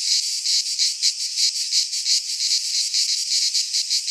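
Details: Cicadas singing in midsummer in a Greek pine forest: a dense, harsh buzzing chorus pulsing in quick rhythmic surges, roughly three beats per second, with no other sounds.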